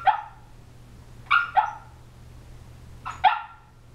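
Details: Muffled little yips and woofs from an 18-week-old female Shiba Inu puppy, asleep and dreaming. Short paired bursts come at the start, at about one and a half seconds and at about three seconds, over a faint constant low hum.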